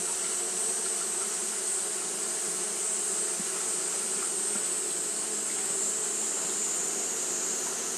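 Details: Continuous buzzing of Japanese honey bees fanning in hot weather: a smooth low hum with faint wavering, plus a persistent sharp high-pitched sizzle and a couple of soft ticks.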